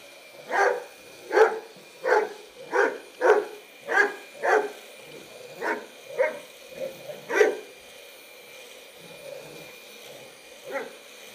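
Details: Bearne, a Bernese Mountain Dog, barks at the vacuum he does not like, giving a fast run of about ten sharp barks, then softer, spaced ones, with a constant motor drone beneath.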